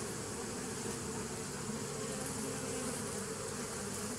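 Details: Short stretch of bees humming, dated 27 September 2018, an even, low, droning buzz that holds steady at one loudness without pauses.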